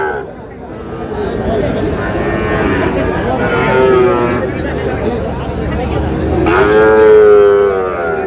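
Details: Sahiwal bull calves at Raniganj cattle market near Mymensingh, 7 May, being bought by a farmer; a calf's sustained, flat, harmonic moo mid-clip and a louder one near the end, over constant crowd chatter and speech.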